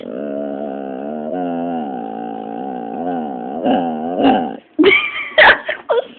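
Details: Pit bull Dropsik answering a scolding with a long, wavering, harmonic whine-moan whose pitch sways gently. It ends in several sharp yelping, squeaky bursts.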